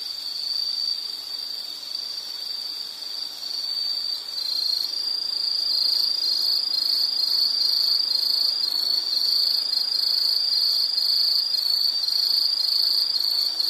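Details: Insect trilling in a nature soundscape: a high, shrill, sustained note that swells in loudness after about four seconds and becomes more clearly pulsed, about two pulses a second, continuing steadily to the end.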